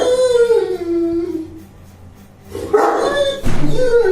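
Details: Bruno the Saint Bernard, 21 months old, vocalizing during play indoors: a long falling whine-howl, a pause, then a loud abrupt bark followed by another drawn-out whine.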